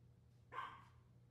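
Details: A single clipped bark from a Maltese, one of the dogs barking at the birds on a hot summer day, standing out against a faint background hum.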